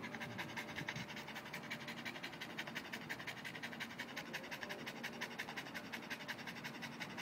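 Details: Boston Terrier panting to cool down after playing with an orange ball indoors; steady rapid breathy pants, roughly three per second, even and continuous throughout.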